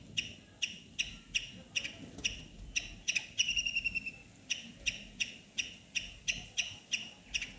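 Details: Squeaking squirrel in a neem tree: a steady run of short, high, piercing chips about two per second, broken midway by a quick rapid trill of ticking notes before the regular chipping resumes.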